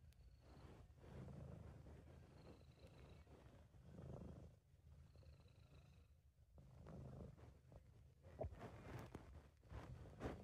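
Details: A relaxed, happy British Shorthair named Sabu purrs in a continuous low rumble, swelling and fading with its breathing, with faint background noise and a few soft clicks near the end.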